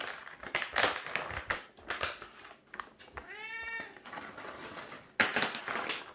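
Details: One short, tonal meow from a cat, about half a second long, rises out of steady rustling and bumping. Loud scraping bursts fill the start and end.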